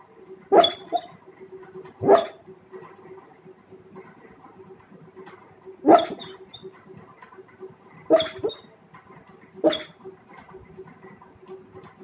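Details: A sleeping dog lets out five short, sharp yelping bursts, spaced roughly every two seconds, each with a faint tonal whine, over a steady low background hum.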